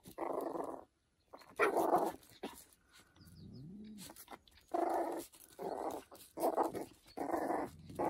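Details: Young dog yapping at a cat to look tough: clusters of harsh, mid-pitched barks, broken by a brief low rising-falling growl near the middle, then more barks in quick succession.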